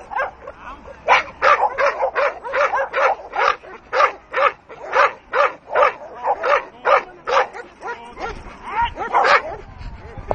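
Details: Leona, a Dogue de Bordeaux, barking in attack mode: a rapid run of about twenty harsh, forceful barks, roughly two to three per second, then a few higher yips and whimpery sounds near the end.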